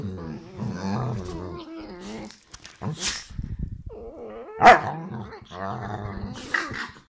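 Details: Saluki and Whippet dogs play fighting indoors; low rumbling growls and grumbles throughout, with a sharp yelp or bark near the middle and short higher whines toward the end.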